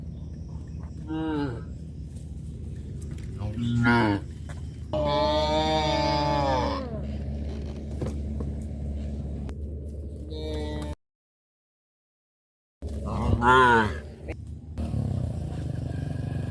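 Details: Cows roaming village streets on a traditional village farm, with a nursing calf: several mooing calls, short lowing bursts near the start, then a long drawn-out harmonic moo of about two seconds and another later, over a steady low rumble, with a brief silent gap.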